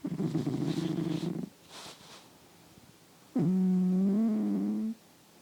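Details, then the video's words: Asleep indoors and captured with RØDE microphones, a male cat gives a rough, low snoring breath, then a pause, then a longer snore with a clearer droning, slightly falling tone. "Loud Snoring Cat"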